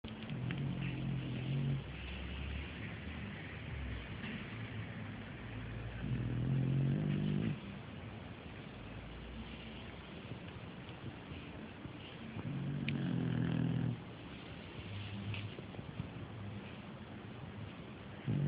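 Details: A Shar Pei snoring: deep, rattling snores come in long breaths roughly every six seconds, with softer rumbling breathing in between.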